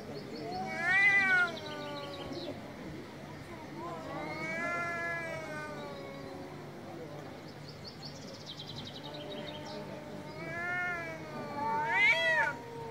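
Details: Loud meows from angry cats: four harmonic, wavering wails spaced a few seconds apart, the last rising sharply, with faint muffled sounds in between.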